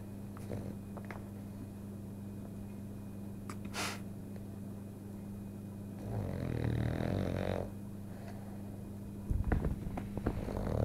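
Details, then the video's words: A female French Bulldog, asleep and dreaming, gives a rough, rasping snore over a steady low household hum. "Kika - French bulldog snores and dreaming"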